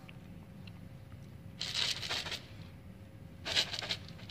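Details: Quiet indoor room with a low steady hum and two short bursts of crackling, rustling noise, like food or packaging being handled, with no animal voice heard.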